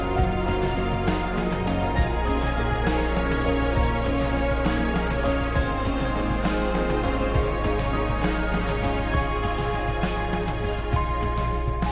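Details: Dense background music with steady low bass and layered instruments playing throughout; no animal sounds.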